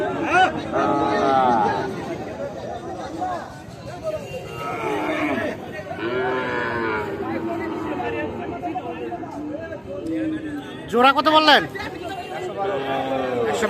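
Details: Repeated bellows from Sahiwal bull calves being bought and sold at Ambari market, Tangail, 13 January; short and long moos overlap unevenly over nearly fourteen seconds, mixed with nearby bargaining voices and a sharp burst of crowd noise.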